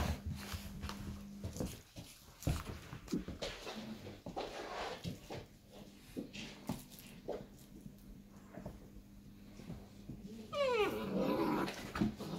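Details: Irish Wolfhound puppies at five and a half weeks old, heard mostly as scuffling, thumps and shuffling movement indoors, ending in a rising, whining yelp with a wavering tone near the close.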